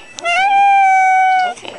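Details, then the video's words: An annoyed orange Manx cat named Kitty, being teased at home, gives one long, drawn-out meow: slightly rising at the start, then held steady for over a second before stopping, with a person softly calling "kitty" around it. "Annoying My Orange Manx Cat Kitty"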